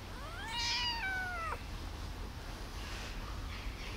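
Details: Hungry tiny kitten, abandoned in a box on the street and just rescued, lets out one long plaintive meow that starts high and slides steadily downward for about a second, followed by quiet room noise.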